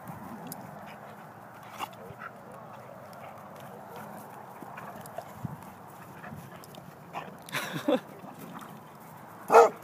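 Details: Two pet dogs, a Dalmatian named Olley and a German Shorthaired Pointer named Lola, play rough as Olley knocks Lola over. A low rumbling growl runs throughout, with a few sharp snaps and a louder burst near the end.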